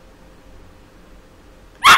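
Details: A five-month-old Yorkshire terrier being taught to count gives a single sharp, high bark after a moment of near silence.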